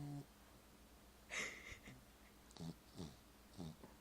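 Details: A pet dog named Marvey asleep indoors, snoring in short low breaths that repeat roughly every second and a quarter, with a brighter hissy burst early on and a television playing during a holiday film.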